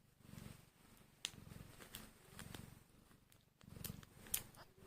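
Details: Tiny hungry kittens just one hour old purr in low pulsing bursts roughly twice a second, interrupted by several sharp clicks and small rustling noises indoors.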